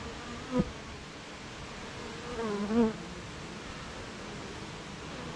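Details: Bees humming at their hive on a rainy morning: a softer steady drone with a short thump near the start and a louder wavering buzz of a passing bee around the third second.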